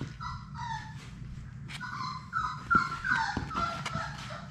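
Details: Playing Labrador Retriever puppies from a litter of six in an indoor play room; clear high whimpers with sliding, wavering pitch, one after another, over light scuffling and a low background hum.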